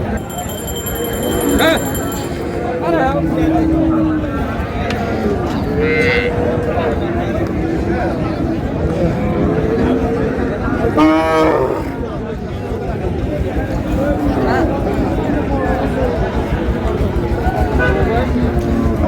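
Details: Cows with calves at the Raniganj cattle market (haat) in Dinajpur on June 4, 2026. A brief, low, harmonic moo rises near eleven seconds out of dense crowd chatter, with human voices throughout the whole recording.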